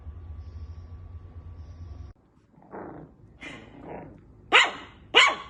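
A Shih Tzu gives a few soft whining yips, then two sharp, loud barks.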